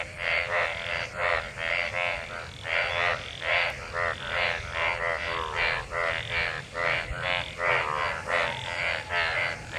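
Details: Frogs gathered in rainwater following monsoon rain, mating; a rhythmic chorus of buzzy, raspy croaks, roughly two per second, several callers alternating and overlapping.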